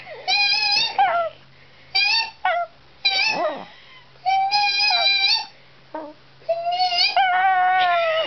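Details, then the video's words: Penny, a pet dog, howls indoors in reply to high-pitched squealing: wavering, whine-like tones, some sliding up then down, in bursts of about a second separated by short silences. "Penny doing her little howls"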